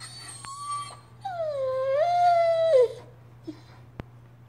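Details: Doberman Pinscher crying indoors: a long, drawn-out whine that starts high, dips, then rises and holds before falling off, with a short earlier whimper and a person speaking to the dog.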